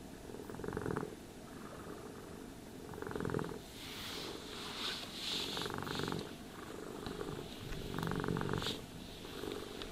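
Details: A cat purring while being brushed and groomed: a low, fluttering rumble in swelling bursts every few seconds, with soft scratchy brushing strokes over the top.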